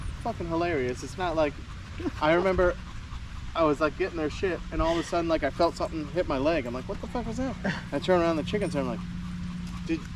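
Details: A group of male Staffordshire Bull Terriers at a park at evening 'chat' in long runs of warbling, howl-like yodels, bursts overlapping almost continuously above a constant low engine-like hum.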